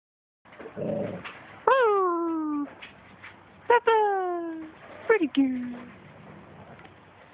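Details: Female wolfdog 'talking': long, whiny, howl-like tones that jump up then slide down, in three drawn-out phrases with a short yip between, some low rumbling at the start.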